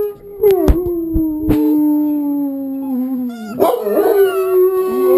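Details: Pet dogs join televised wolves in howling, said to strengthen the pack bond; a long level howl drifting slowly downward, a few sharp clicks early, then a second wavering voice rising in near the end.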